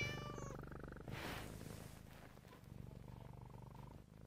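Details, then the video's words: Siamese cat giving a short, tonal, harmonic meow at the start, then a soft breathy noise and a second drawn-out, level meow, all over a steady low purr. "Siamese cat meowing"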